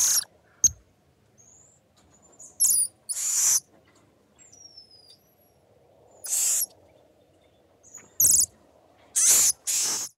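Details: Group of golden marmosets chattering in sharp, piercing bursts, some longer and harsh, arriving in irregular clusters, with a few faint thin whistles and low background hiss in between.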